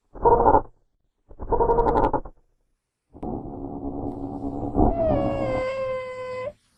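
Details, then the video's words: Wild genet, natural habitat: two coarse noisy bursts, then a sustained gravelly call turning into a tonal, gently falling wail at its end. "Real Genetta Sounds"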